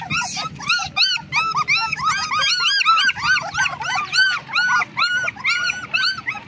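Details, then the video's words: Black German Shepherd puppies, 20 days old, a litter crying together: a dense, overlapping stream of high, arched whines and yelps, each rising then falling, coming several per second without pause. "Black German shepherd puppies 20days old"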